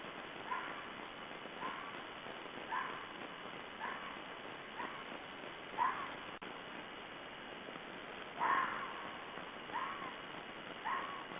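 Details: A red fox (Vulpes vulpes) gives a steady series of short, hoarse barking calls, roughly one each second, recorded 16 February 2012.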